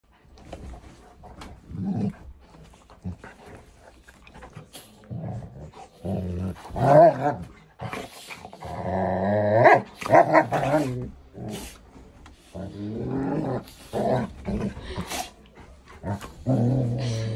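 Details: Pet dogs, a Gordon Setter puppy and two Golden Retrievers, playing: low rumbling growls and grumbles in uneven bursts, a few rising whining notes midway, scattered sharp clicks and thumps from play.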